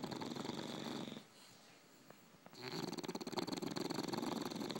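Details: Sleeping English bulldogs, two of them, tired: a buzzy, pulsing snore that stops for over a second of near silence, then resumes stronger with quick regular rasping pulses, roughly three to four per second, in a small room.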